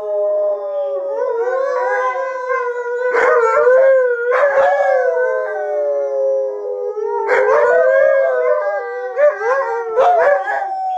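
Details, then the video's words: Chorus from three Alaskan Malamutes, Sojou, Fish and Dotty, howling to vent, somewhat like letting off steam; drawn-out rising and falling wails interweave, punctuated by several sharp yelping bursts spaced a few seconds apart. "Howling For Better or Worse"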